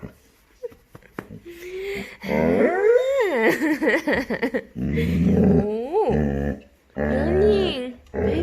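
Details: Male Labrador Retriever puppy indoors, vocalizing after waking in the morning with a weird cow-like noise: long wavering whines that rise and fall, mixed with lower groaning tones, with short pauses between.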